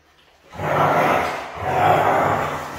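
A Siberian husky gives a rough, drawn-out howl that swells twice in quick succession.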